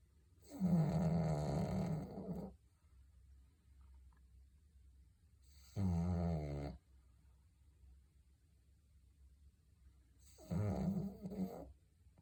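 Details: A dog snoring heavily: three long, rasping, throaty breaths of one to two seconds each, coming roughly every four to five seconds, with quiet pauses between them.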